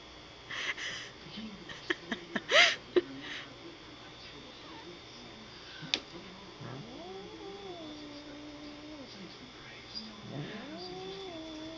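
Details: A female cat inside a bag, annoyed by another cat trying to play with her, gives two drawn-out, wavering low moans after some rustling and a few sharp knocks; a person laughs and speaks.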